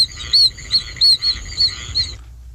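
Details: Short high peeps from the oak toad, Bufo quercicus, from Bogert's archival recording: six brief whistled notes, spaced roughly a third of a second apart, chick-like in quality, ending in quiet background hum.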